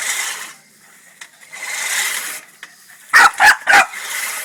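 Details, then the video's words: Boston Terrier riled up by a push lawnmower, giving three loud, quick barks in a row after bursts of rasping mower noise. "Boston terrier vs lawnmower"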